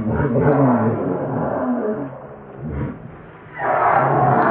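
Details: Young monkey wailing steadily, its cry wavering in pitch before dipping quieter, then breaking into a sharper, higher cry at the end.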